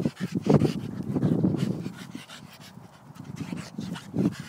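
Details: Playing Staffordshire Bull Terrier producing loud, low, gravelly growls in uneven pulses, strongest near the start and again just before the end, with a softer breathy lull in the middle.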